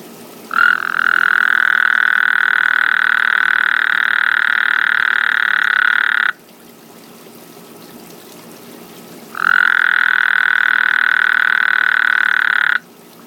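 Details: At night in a backyard, a frog gives a drawn-out, droning burp-like croak lasting nearly six seconds. After a few seconds of quiet comes a second, shorter trill at the same steady, buzzy pitch.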